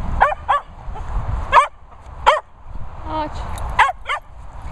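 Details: Playing dogs including a Hungarian Vizsla and a Bichon called Peppa, yapping in quick excited barks, some paired, scattered across a few seconds while a person talks in between.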